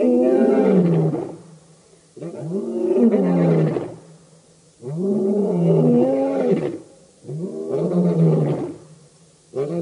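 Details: Lions of the Birmingham Boys coalition roaring at the dam, Djuma Game Reserve, Sabi Sand, Kruger Park, South Africa, August 2016: deep, moaning harmonic roars in bouts of one to two seconds, separated by short silent gaps, in chorus.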